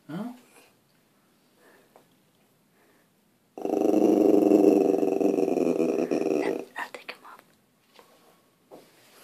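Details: Sterling the puppy, trying to frighten deer outside, growls in a sustained, rumbling, rapidly pulsed burst lasting about three seconds, framed by quiet stretches and a person urging him to see the deer.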